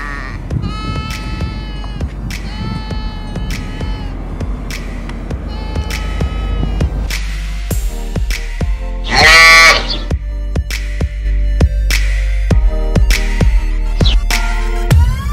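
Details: A female sheep bleats in wavering, nasal calls repeated every second or two over background music.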